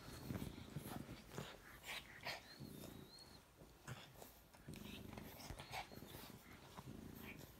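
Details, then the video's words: Two French bulldog puppies, a chocolate male and his lilac fawn sister, play fighting on a couch indoors; low rumbling growls come in long stretches with short gaps, mixed with snuffling, mouthing clicks and a brief high squeak. "French bulldog puppies play fighting on the couch"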